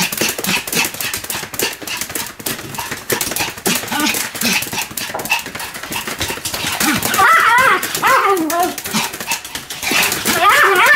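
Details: Rapidly spinning Pomeranian named Sam barking repeatedly, about three and a half barks a second; clattering noise dominates early, with clearer high, upward-sweeping yaps toward the end.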